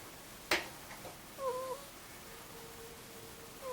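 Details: Snoring of Mutchin, a two-year-old Angora ferret, asleep, a soft 'kuu-kuu' snore: two short whistled, slightly bending tones with a faint steady hum between them, plus one sharp click near the start.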